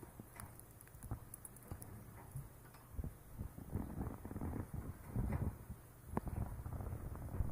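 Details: Pet Siberian chipmunk named Mame purring in its throat because it wants food, possibly as affectionate begging; low, rapid ticking pulses with scattered sharp clicks throughout, close and quiet indoors.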